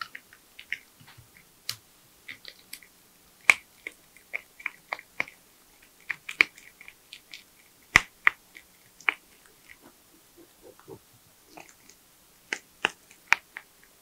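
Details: Porcupine eating nuts, bananas, sweet potatoes, apples and carrots, giving sharp snapping bites and crisp clicks at an irregular pace throughout, a few louder cracks standing out.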